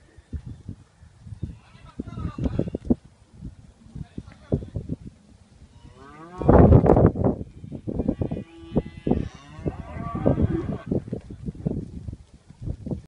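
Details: Young Kalmyk bulls kept on a farm for sale; a few tonal moos rise out of the second half, over a steady background of low rumbling, knocking and clattering, with faint music.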